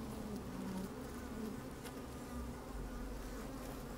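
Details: Inside an open beehive on a sunny, slightly windy day, honey bees moving about and buzzing: a dense low hum with wavering tones and a rumbling undertone throughout.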